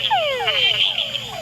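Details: Male túngara frogs give mating calls, quick falling whines each sliding down in pitch, overlapping one after another; in groups males add a chuck at the end to attract females.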